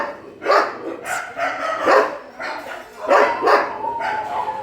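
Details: Several dogs at a shelter during night feeding give sharp, overlapping barks in uneven bursts roughly every second, with a thin whining tone running underneath.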